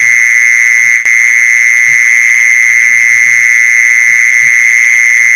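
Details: Steady mole cricket buzz played to lure mole crickets: a shrill continuous trill broken only by a brief click early on, with soft low thuds beneath.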